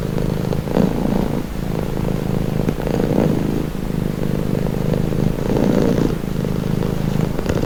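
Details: Relaxed house cat giving a continuous low purr, throbbing rumble swelling in regular breath cycles of about one to two seconds, with a few soft clicks.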